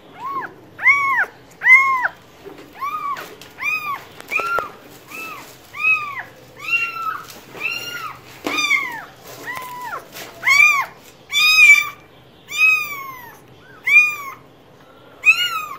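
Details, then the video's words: Cat meowing insistently in a long run of about twenty calls, some short and clipped, others longer and wavering, with occasional clicks and thumps in the background. "Cats Voice - Cats sound - Cats Meowing"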